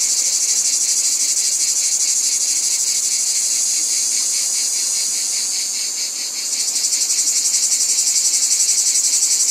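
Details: Cicadas in a dense chorus: a loud, high, hissing buzz that pulses about four times a second, steadying for several seconds before shifting into sharper, more distinct throbbing beats.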